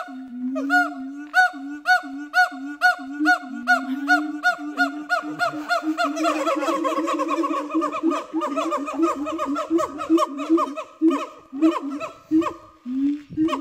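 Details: Siamang family at Dubbo Zoo singing to tell other siamangs in the area to keep away from their territory, the male holding his arms out to show his muscles: rapid repeated harmonic hoots, building into a dense, overlapping chorus.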